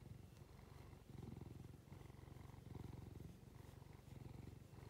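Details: Stroked house cat with watery eyes giving a loud low purr, rumbling pulses in long stretches broken by brief breathing gaps, petting growing rougher toward the end.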